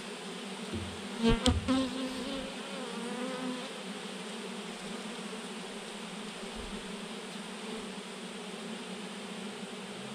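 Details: Thousands of honey bees hang in a massive clump on a branch. A steady, layered hum drones throughout. One bee passes close at about one second, giving a louder, sharper buzz that quickly fades back into the swarm's drone.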